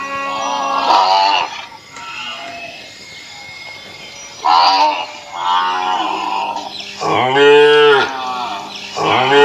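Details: Indian cattle from an Assam village lowing in long, deep moos, four or five calls each lasting one to two seconds, the last ones louder and bending in pitch, over a faint constant hum.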